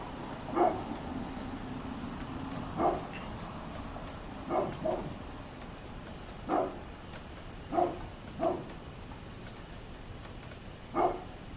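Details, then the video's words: A neighbour's dog recorded 27 October 2011, giving short distant barks at irregular intervals of one to two seconds, including a quick double bark, against constant low hiss and faint hum. "Neighbors Barking Dog"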